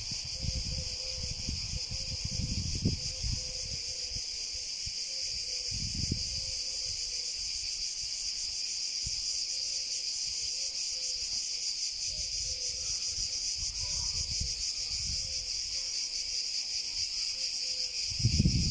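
A cicada holds a loud, continuous, shimmering buzz high in pitch, barely changing in strength throughout. Low rumbles of wind or handling come and go beneath it, with a faint pulsing tone in the background.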